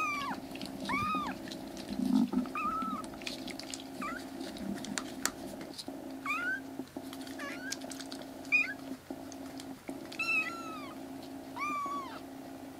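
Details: Three black foster kittens, littermates rescued and now healthy enough to cry loudly and explore the room; many short arched meows and a few longer drawn-out cries scattered across the stretch, with a constant low indoor hum beneath.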